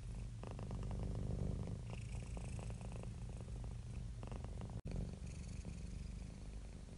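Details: A happy, relaxed domestic cat purring steadily: a deep, low rumble pulsing in quick regular throbs, swelling and easing with each breath, with one brief dropout near the middle.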